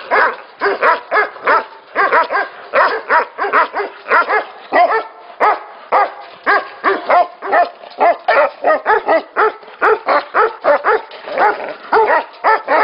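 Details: Many Tibetan Mastiffs at a Tibetan mastiff factory, a constant din of overlapping barks from several dogs, short harmonic yelps and barks crowding one another with no quiet gaps.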